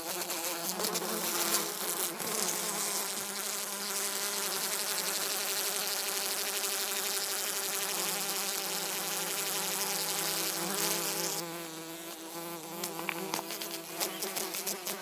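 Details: Drone fly hoverfly buzzing steadily for a long stretch, a constant low-pitched hum with a hissy overlay, briefly softening and then resuming near the end.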